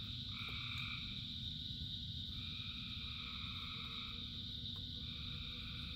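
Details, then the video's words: Frogs singing in rain, with three long, even trills separated by short gaps over a continuous high chorus and a low, steady wash of rainfall. "Frogs in Rain 2 Hours of Frogs, Thousands of Frogs Singing"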